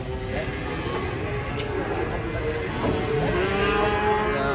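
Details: Cattle unloading from a truck: steady, sustained lowing with harmonic tones over a busy background of people talking and engine rumble.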